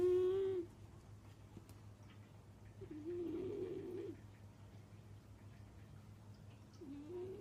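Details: A cat snoring, a sound first taken for something unknown: a short whistled tone, then a longer, rougher, breathy one, and a third starting near the end, spaced a few seconds apart over a low background hum.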